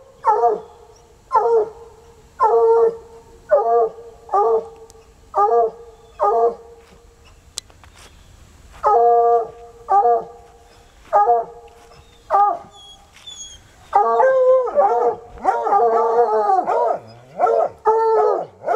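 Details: Sunny and Hazard, two untrained coonhounds, keep baying outside at a car sheltering a raccoon; a long run of short harmonic bays at a steady pace, then a second dog joins with overlapping, wavering howls near the end.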